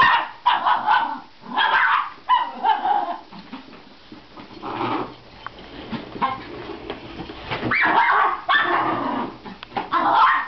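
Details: Miniature Schnauzer facing a vacuum cleaner, letting out bursts of sharp yips and short whining barks in irregular clusters, with a quieter stretch in the middle and a person's voice softly reassuring it.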